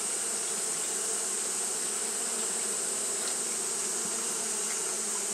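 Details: Japanese honey bees fanning continuously on a hot day: a dense, steady drone with a low hum and a stronger overtone above it, unbroken throughout, over a constant bright high-pitched hiss.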